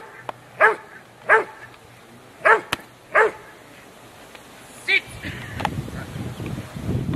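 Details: Huck dei Re Magi, a Rottweiler, during the IPO3 section C test of the Rottweiler Club Italiano trial, Rome, 18 November 2012: four loud separate barks spaced under a second apart, then a softer one and rumbling outdoor noise.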